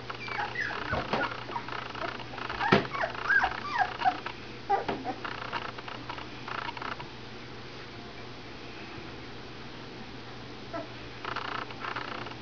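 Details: AKC standard poodle puppies, 22 days old, stirring and waking up: a burst of high whimpers and short yips over the first five seconds, then quieter, with a few faint squeaks near the end above a steady low hum.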